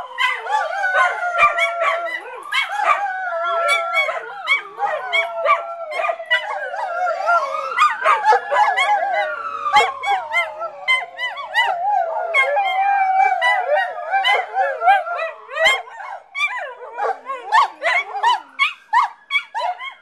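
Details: Several pet dogs, including a terrier, howl with a fire engine siren, a dense chorus of wavering howls broken by rapid staccato yaps and whimpers throughout, while the siren's long rising and falling sweep swells through the middle.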